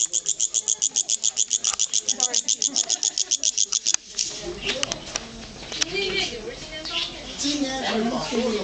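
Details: A pet cricket sings in a family courtyard in a Beijing hutong, giving a rapid series of high, evenly spaced chirping pulses, then voices take over.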